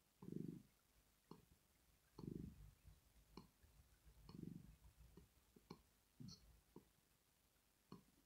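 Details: Rosetta the pet cat, a female, purrs in her sleep to show relaxation. A strong deep rumble opens the clip, then weaker pulses follow about once a second, with faint clicks marking each breath.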